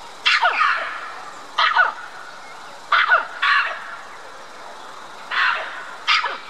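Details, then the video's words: At Dublin Zoo, a red-capped mangabey in a tall tree in a mixed-species habitat calls out to white-collared mangabeys housed across the lake. Loud, rough barks come in pairs and singles with pauses between, some doubled, over quiet background noise. "Red-capped mangabey is calling for attention"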